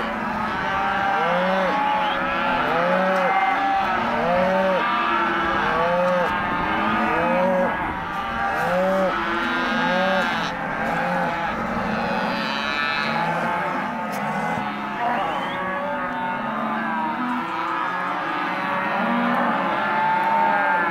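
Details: Empty Hereford and Careta cows mooing nonstop; early on, short arched moos repeat roughly every second, then many long overlapping lows merge into a loud herd chorus.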